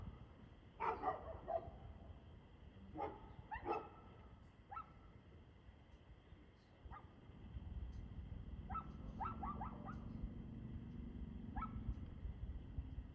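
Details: Dog barking, recorded 2/6/2024 at 6:02 pm: distant, fairly faint harmonic barks in short clusters of two or three, with pauses between groups, over a steady low rumble and a constant high hum.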